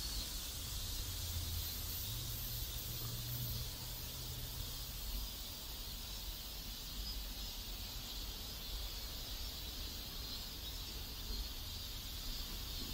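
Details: Cicadas in a South Korean neighborhood make a steady, high buzzing drone that never breaks over a low rumble of background noise and a brief low hum near the start.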